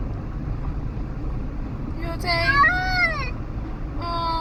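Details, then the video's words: Sophie, a pet cat riding in a car and disliking it, gives a drawn-out wailing meow that sounds like a baby, rising then falling, followed by a shorter cry; steady engine rumble underneath. "Cat makes funny noises"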